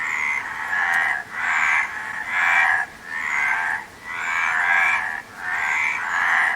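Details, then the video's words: Frogs calling in a dense chorus, mid-pitched croaking massed into swelling bursts, each around a second long, broken by brief quiet dips near 1.3, 2.9, 4 and 5.2 seconds. "Frog Sound"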